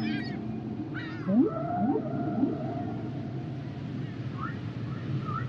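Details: Humpback whale song with rising, squeaky upsweeps and a sustained wavering mid-pitched tone over deeper groans, followed by softer scattered rising chirps against constant background hiss.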